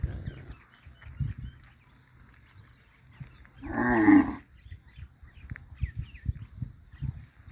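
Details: A grazing cow on a winter morning gives one loud, low moo lasting about a second, rich in harmonics, amid soft thumps and rustling from grazing and a few faint bird chirps.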